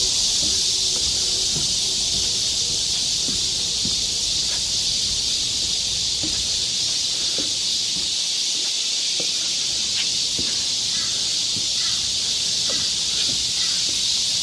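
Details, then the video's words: Forest cicadas of Galsan Park, Seoul, in high summer, their massed song a steady piercing hiss that never lets up; faint scattered taps and rustles, perhaps footsteps, sound low in the background. "여름 자연의 소리. 매미울음소리."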